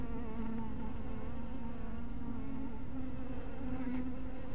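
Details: Honey bees at a bee house in twilight light, making a steady low droning hum with a stacked harmonic tone that wavers slightly in pitch over a constant deep rumble.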